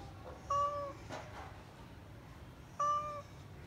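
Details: Domestic cat giving two short, clear, steady-pitched meows about two seconds apart, each bright and slightly falling at the end, over a low background hum.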